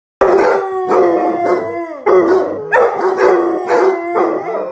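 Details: Dogs vocalising in long, wailing, howl-like cries with a strong tone. There are three drawn-out bursts that waver and slide slightly in pitch, with short breaks between them.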